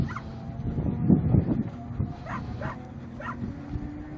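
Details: Protection dog during protection training, giving a short run of deep, gruff barks, a cluster of heavy low barks early followed by a few sharper, spaced barks, with background clatter and movement throughout.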